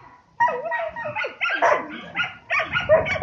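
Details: Five-month-old male Samoyed named Yasha (Sormovskaya Zarya Yatagan Sverkayushchiy), a show and breeding prospect, vocalizing while being positioned by its legs: a run of short yelping barks mixed with whiny, wavering tones, separated by brief pauses, with a person giving commands.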